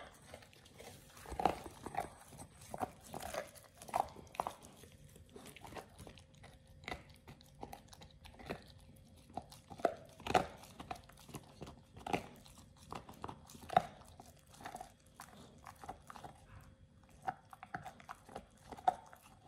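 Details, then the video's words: Pit Bull Oliang works through a raw ostrich paw for the first time, indoors. Dense, continuous crunching and wet gnawing come with frequent loud cracks every second or two, and a faint steady hum sits in the background. "Oliang the Pit Bull 1st time eats Raw Ostrich PAW [ASMR] BARF | MUKBANG 動物の咀嚼音"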